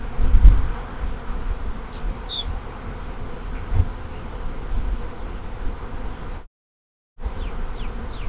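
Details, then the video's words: Honey bee swarm moving into an empty hive on the afternoon of 24 March 2023, after scout bees appeared on the landing board: a dense, steady low droning hum with a short break, plus a faint bird chirp. "Honey Bee Swarm Moving In"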